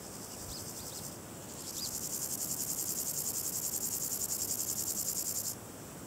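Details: Variable Chorthippus grasshopper (Chorthippus maritimus) stridulating: a high, dry, rapidly pulsed buzz of evenly repeated rasps lasting about four seconds, which stops abruptly. A couple of faint chirps come before it, over a quiet background hiss.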